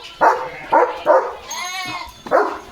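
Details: Leo, a German Shepherd, barks in alert as a herd of sheep passes in front of the gate: loud, hoarse barks spaced about half a second apart, with a short gap of whining tone midway.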